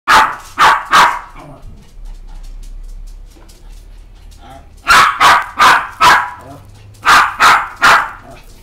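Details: Maltese dog at a pet shop in Honjo, Japan, giving sharp, high barks in quick bursts: three barks, a pause of nearly four seconds, then four barks, then three more, with a quiet room in between.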